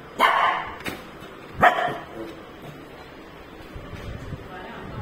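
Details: Pet shih tzu puppy at home barking for chicken: two short, sharp yaps about a second and a half apart, then quiet room noise, with a woman talking nearby.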